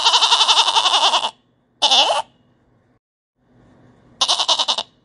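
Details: Goat (Capra hircus), bleat.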